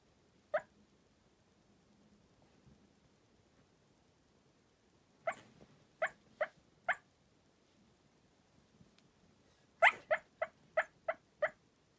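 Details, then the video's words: Cairn Terrier barking while asleep: short, muffled, puffing yips, one alone, then a string of four, then a quicker run of about seven, in a quiet room. "Cute Dog barks while asleep | Cairn Terrier |"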